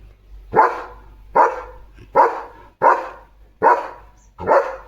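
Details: German Shepherd named Leo, a protective house dog kept at the gate, gives six deep, evenly spaced barks about every three-quarters of a second, each a sharp burst, with quiet background between them.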